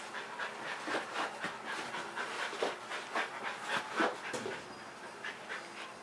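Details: Pet Kerry Blue Terrier Leroy panting when he wants to play: rapid breathy huffs in a steady, uneven rhythm, roughly three to four per second, each a soft noisy burst.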